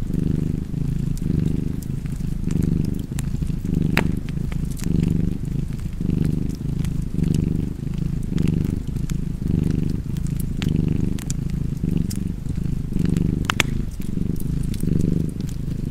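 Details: Continuous low purring of a domestic cat, rising and easing with each breath roughly every second, accompanied by light crackling from a fireplace throughout.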